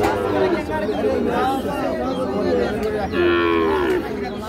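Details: Sahiwal bull calf at the Ambari market, Parbatipur, Dinajpur, Bangladesh, 13 December 2025: a moo is heard near the end, under steady crowd chatter and nearby talking.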